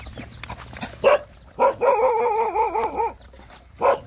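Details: Hungry Rottweiler puppies nursing with their mother give a long wavering whine lasting over a second, with harmonic pitch wobbling up and down, framed by short yelps and soft rustling.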